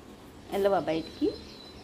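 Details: Dog giving a short voiced, harmonic whimper followed by a brief high squeak that rises in pitch, heard over a faint steady background hiss.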